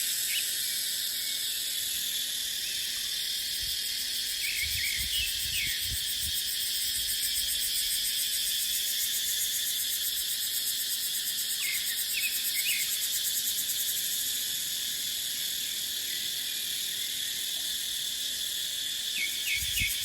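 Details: In dry-season dipterocarp forest, cicadas hold a steady, shrill, pulsing hiss for twenty seconds. Scattered brief bird chirps and soft low gusts of wind come through underneath.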